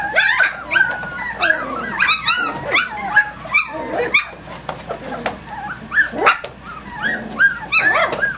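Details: Egypt's litter of puppies, three weeks and three days old, playing rambunctiously at 6 a.m. on 10.12.2011; a busy tangle of overlapping high squeaky yips, whines and short squeals, rising and falling, almost continuous.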